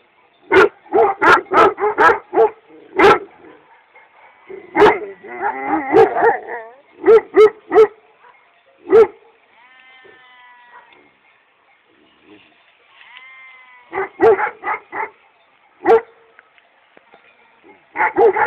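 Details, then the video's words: Several Kangal dogs in Çorum, Turkey, barking in irregular volleys of deep, forceful barks, with a rapid jumble of overlapping barks, two quiet spells holding wavering bleat-like tonal calls, then renewed barking. "şahane kangallar"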